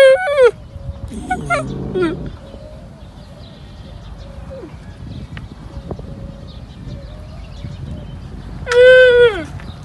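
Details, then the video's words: Rejected camel calf crying for its mother, with a mournful, distinctive voice. One harmonic bleat opens the clip and another closes it, each falling at the end. Fainter calls and a low murmur of background noise sit between them. "الصوت الحزين والمميز/ صوت صغير الجمل او الناقة -السَّقْب - الحَائل - الحوار"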